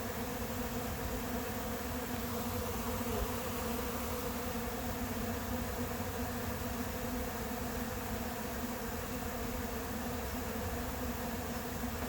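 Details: Honey bees of a late-season swarm settling into an empty hive in July, making a continuous, even buzzing drone that holds steady for twelve seconds without pause or change in pitch.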